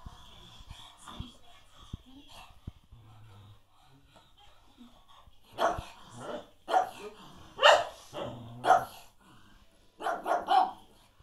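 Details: A pug trying to play with a Cocker Spaniel gives a string of short, hoarse barks after a quiet start.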